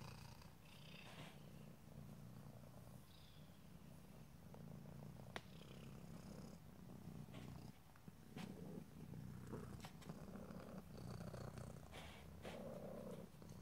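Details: Domestic cat purring in ear-to-ear stereo, a steady, deep rumbling drone pulsing with its breaths, accompanied by occasional soft clicks and brief higher rustling sounds.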